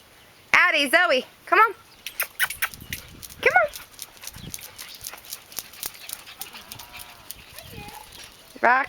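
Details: Puppies, described as getting big, recorded on May 29: loud, strongly harmonic arched yelps in quick bursts near the start, another burst at about one and a half seconds, more mid-clip and at the end, with people talking between.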